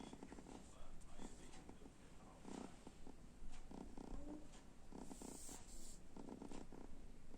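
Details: Kitten snoring softly while asleep in front of an oven indoors: quiet, breathy rasps repeating about every second against a steady low hum, with a brief hiss partway through.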